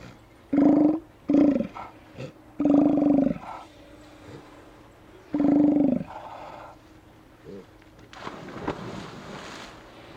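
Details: Steller sea lions at a beach on Hanson Island in Johnstone Strait, British Columbia, Canada, filmed by a remote camera on 18 September 2018 in late afternoon: four deep, gruff roars in about six seconds, then softer grunts and a hissing rush of water or wind.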